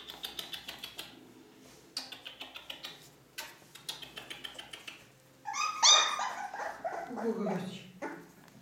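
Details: Ca de Bou pups, four weeks old, offspring of Bea and Bubu: bursts of fast clicking taps for several seconds, then a loud cluster of high, whistly yelps sliding downward into lower whining cries.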